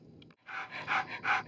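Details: Newborn-stage Alaskan Noble Companion Dog pups, agouti and liver, several dozing nearby. After a short pause, three swelling breathy pants follow one another, each slightly louder than the last.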